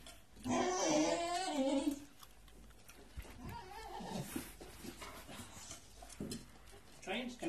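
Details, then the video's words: Indoors, an impatient year-old Staffy named Hank howls a long wavering moan as he waits for his walk. Afterward come quieter grumbles, household clatter and a man's coaxing voice. "Taking an impatient Staffy for a walk"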